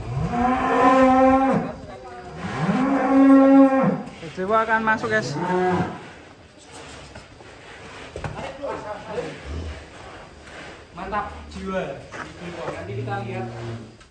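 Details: Giant fattened cattle, described as very long and very tall, lowing: long, drawn-out, strongly harmonic moos in the first six seconds, then quieter, shorter and broken moos over faint background noise.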